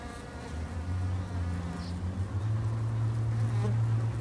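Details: Close buzzing of a Japanese honey bee at a garden hive, a low tonal drone that wavers and then steadies and strengthens over a few seconds against a soft colony murmur.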